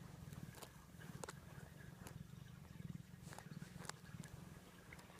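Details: Domestic cat purring while cuddling up in bed under the futon, asking to lie on its owner's arm in an affectionate mood; steady low pulsing rumble with occasional soft rustling clicks from the bedding.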